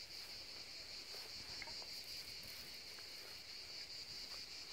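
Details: Seaside cicada chorus, an unbroken high-pitched shrill buzz holding steady throughout, with light ambient rustle underneath.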